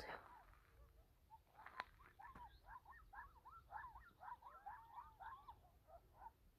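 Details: Coyotes in the morning near Safford, Arizona, yip and yodel together in a quick, warbling chorus of rising and falling high notes.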